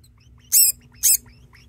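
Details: Indoor pet degu calling insistently, joined by another degu. Two loud, very short, shrill chirps half a second apart stand out over a faint low hum.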